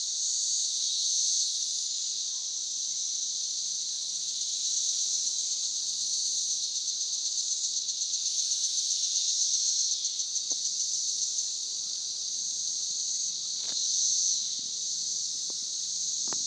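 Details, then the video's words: Emerged 17-year periodical cicadas in Northern Kentucky, a dense, steady high-pitched droning chorus that pulses slightly and swells midway, with a few faint clicks and thumps nearby. "17 Year Cicada's in Northern KY"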